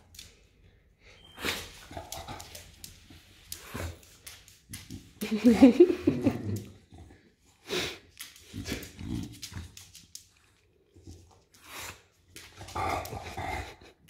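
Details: English Bulldog named Enzo, indoors, pawing at a bag of mandarins to get them; a short run of low, tonal whining grumbles in the middle, between crackling bag rustles and scattered knocks.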